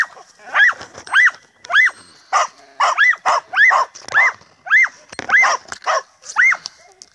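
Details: An Andalusian Hound climbs a tree at night while relentlessly harassing a cat, giving a fast run of high, ringing yelping barks, roughly two every second.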